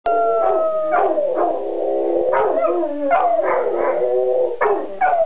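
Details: Two dogs howling together, sustained wavering tones that slide and overlap, with short yelping bursts breaking in every second or so; strong layered harmonics and no other sounds.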